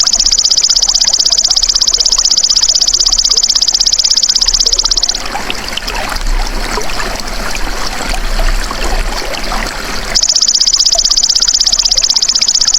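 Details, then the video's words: The high pulsing buzz of a golden grasshopper (belalang emas), used to tutor songbirds, runs evenly for about five seconds. A stretch of crackly, trickling background noise follows, then the same fast trill returns. "MASTERAN BELALANG EMAS TERBAIK 2026 | SUARA ASLI"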